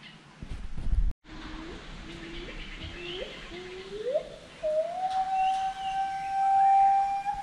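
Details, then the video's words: Forest monkey calling amid steady background hiss: a series of short rising notes, each climbing a little higher than the last, builds into a long, steady, whistle-like held tone. A brief thump and cut come early. "FOREST MONKEY VOICE"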